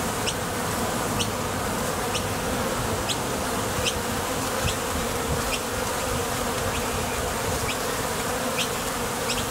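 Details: Honey bees departing and arriving at a Top Bar Hive entrance on their way to collect nectar make an unbroken, full-bodied low buzz with some deeper rumble. Faint high ticks repeat throughout.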